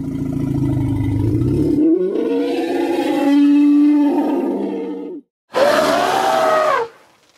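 Loud trumpeting from an elephant: a deep rumbling opening swells into a harsh, brassy blare. After a brief pause a second, higher trumpet rises and wavers before cutting off.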